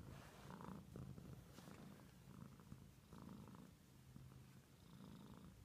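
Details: Cat purring softly, a low throbbing rumble in breathing cycles a little over a second long, with a few faint taps and rustles.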